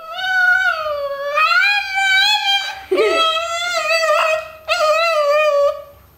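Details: House dog "talking" with its owner, giving sustained, wavering moaning howls that rise and fall like speech, three long phrases with a short gulping break between the first two.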